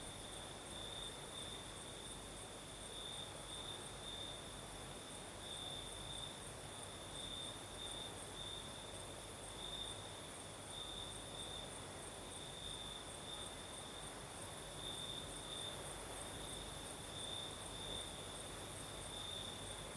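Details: Night chorus of crickets on the southern Crimean coast under a night breeze, one high steady trill running throughout with brighter pulsed bursts, a thin very high band above, and constant soft wind noise.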